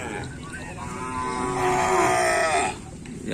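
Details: Cattle at a kerapan sapi bull-race training session on the Asemanis field, held 6 November 2022 in preparation for a race: one drawn-out, strongly harmonic moo swelling for about a second, over a busy, noisy background.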